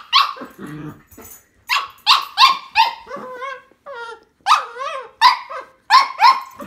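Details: Two Cavalier King Charles Spaniels, a tricolour and a Blenheim, fight over a string toy with quick, high, yelping barks, short whines and a brief low growl.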